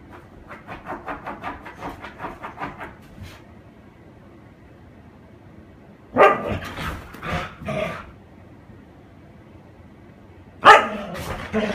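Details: Husky named Hiro playing with a paper bag indoors; a run of soft rhythmic yips or pants for about three seconds, then after a pause a burst of loud harsh barks and a final sharp bark.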